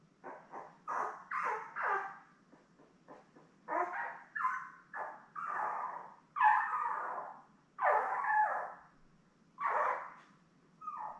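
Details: Litter of seven young Labrador Retriever puppies, born May 24, 2021, with mother Belle: irregular bursts of whines and squeals, some short yips, others drawn-out descending cries spaced a second or two apart.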